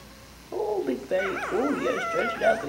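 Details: Puppy making talking sounds: wavering, tonal whines and yodel-like moans that rise and fall in pitch, in quick succession over about two seconds.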